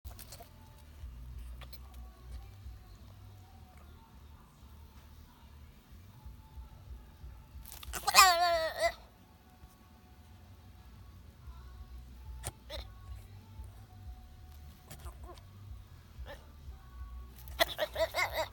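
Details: A black goat slowly comes toward the camera, giving a loud, quavering bleat and then starting another, over a low steady rumble.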